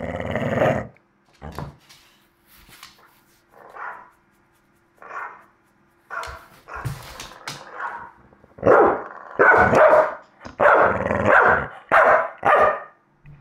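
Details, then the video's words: Staffordshire Bull Terrier, male, barking back at a recording of his own barks; a loud bark, then scattered softer gruff yaps, building to a run of loud, rough barks in quick succession near the end. "staffy barking at a recording of himself barking"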